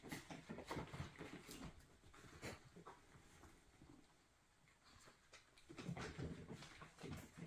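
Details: Miniature Schnauzer pups, nearly five weeks old, playing together and darting around indoors; quick panting, soft grunts and scuffling in irregular bursts, with a quieter pause midway before the busy play noise returns.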